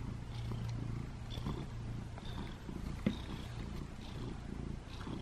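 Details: Butters, a house cat wanting love in the bathroom, purrs a deep continuous rumble that pulses gently in rhythm with breathing, with a few soft taps in the background.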